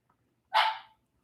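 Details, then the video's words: Pet dog in a room at home, one of several dogs present, barking once: a single short, sharp yip lasting about half a second, with the room otherwise quiet. "can hear them? You guys hear the dogs? They're so cute."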